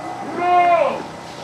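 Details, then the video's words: Etawah goat of the jrabang type, one of two kept in a pen at Samudra Etawa, one with an extreme head and long ears; a single clear, harmonic, steady bleat lasting about half a second, fading at the end. "Duet kambing jrabang driwul & jrabang kepala mbluer nyadil telinga panjang"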